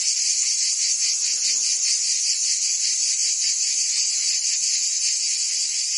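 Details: Summer chorus of cicadas in Provence, southern France, a continuous shrill buzz pulsing rapidly and evenly, holding the same level from start to finish.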